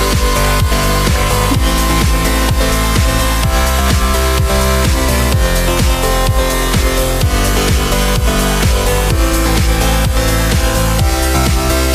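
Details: Electronic dance music with a steady thumping beat and bright synth layers fills the whole stretch, with no animal voice audible.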